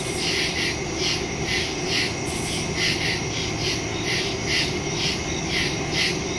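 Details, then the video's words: Woodland crickets calling at night, recorded September 2, 2023 via phone and stereo microphone; bright, rhythmic high chirps pulse about twice a second in an unbroken chorus with a faint low hum beneath. "Crickets in the woods at night"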